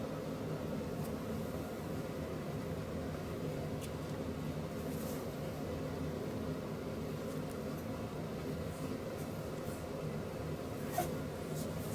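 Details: Low indoor hum like a fan or air conditioning runs throughout, with a few faint clicks and no animal voice.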